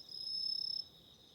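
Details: Short burst of autumn insect song at night with a candle flame: a rapid shrill trill of fast even pulses lasting under a second, then a softer lingering high ringing tone.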